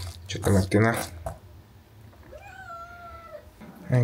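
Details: A young kitten, hungry before breakfast, lets out a single clear, drawn-out meow that holds steady then sags slightly, demanding food, while a man talks just before and after in a small indoor room.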